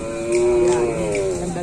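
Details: Cattle at a kerapan sapi bull race at Griduh Onggu, with bulls from Sapudi island. A steady, drawn-out low moo with rich harmonics lasts over a second, with people talking around it.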